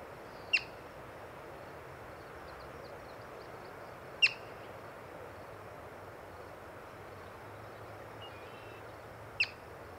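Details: Yellow-bellied marmot, encountered while birding, gives three sharp, piercing chirps, each a brief high whistle-like burst, spaced irregularly about four to five seconds apart over a steady background hiss.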